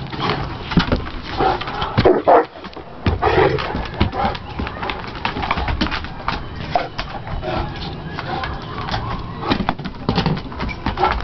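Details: Two English Mastiffs, Willie and Raymond, playing together: rough, low barks and growly bursts come in irregular clusters, loudest in the first few seconds, with human voices talking throughout.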